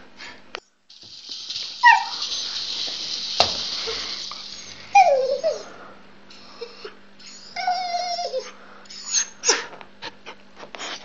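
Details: Dog named Luna with her rattle ball, giving scattered squeaky whimpers and sliding yelps over hissy background noise, broken by sharp knocks and clicks from the toy.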